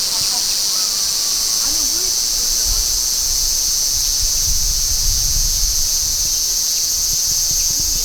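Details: Large brown cicada calling as a steady, unbroken high-pitched shrill drone that holds constant throughout, with faint low rumbling and a trace of distant voices beneath.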